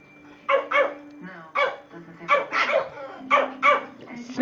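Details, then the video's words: Two pet Shih Tzus barking while playing: short, sharp, high barks, often in quick pairs, about nine in a few seconds, with quiet gaps between. Background television voices and a steady low hum run underneath. "Shih Tzus playing and barking!"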